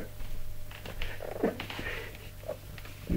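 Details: Indoor recording of Tipsu the mother cat calling and commanding her kittens during stair-climbing practice, with soft murmured chirps and short trilled calls in quick succession over a constant low hum.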